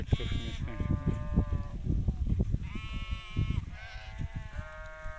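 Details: Hissar breed rams bleat in long, steady, nasal cries, each lasting about a second. The bleats come one after another with short gaps between them. Rustling and low thumping noises sound underneath.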